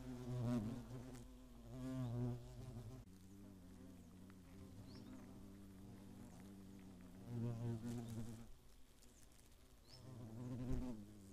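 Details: Eifel hornets attacking in 2017: deep buzzing drones that come and go in waves as insects fly close and away, with quieter gaps between passes.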